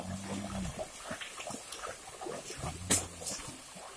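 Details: Herd of cattle entering a river on the way to new grazing near an oil palm plantation; a short low moo opens, another deep moo follows, broken by a sharp crack, over constant splashing and water noise.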